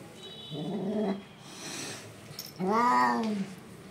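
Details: Hungry street kittens in India crying for their mother cat: two drawn-out, arching meows, the second louder and longer, over a low background hum.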